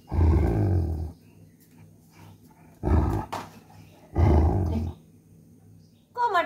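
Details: An angry German Shepherd, not allowed to eat a coconut shell, growls indoors. There are three low, rough, rumbling growls, each about a second long, separated by pauses of one to two seconds. A brief higher sound comes at the end.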